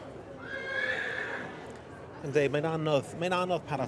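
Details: Yearling Welsh Cob, a filly or gelding, gives a wavering, high whinny lasting about a second near the start, then a person speaks and laughs over the rest.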